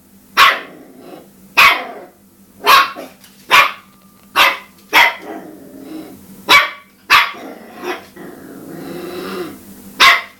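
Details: A Cairn Terrier barking while attacking a dishwasher indoors: sharp, loud barks repeated roughly every second, with softer growly noise between some barks and a faint steady hum underneath.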